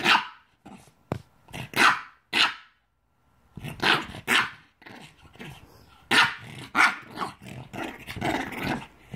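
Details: A Boston Terrier reacting to beer it dislikes gives sharp, uneven barks mixed with throaty growling grumbles.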